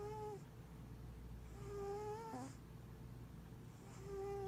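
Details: A giant Maine Coon cat purrs and snores, a low steady rumble with soft nasal whistles rising over the breathing.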